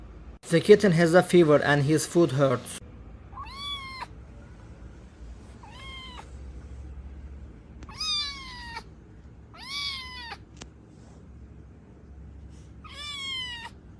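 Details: Stray kitten rescued after surviving two days in -11°C snow without food or shelter; human talk opens, then five short, falling meows follow at intervals of about two to three seconds.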